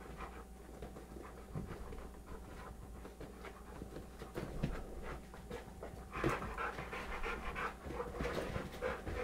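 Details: Two dogs wrestling on a sofa, 100 lb American Bulldog Bulka and 25 lb young Beagle Maxwell; fast irregular panting breaths, growing livelier toward the end with sharper huffs, steady background hum.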